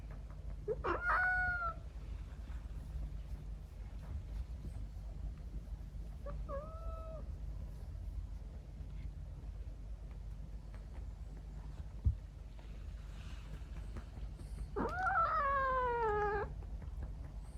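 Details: A female Scottish Fold × Persian mix cat named Nuchiko, born November 2022, meows at bedtime while patted on her bottom: a short falling meow, a briefer one five seconds later, then a long, drawn-out wavering meow, over steady low room hum.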